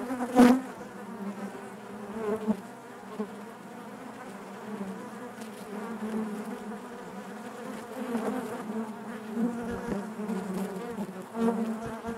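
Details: Continuous low buzz of a honey bee colony within the hive, layered harmonic drone with small swells, a sharp close buzz burst near the start and a few light taps.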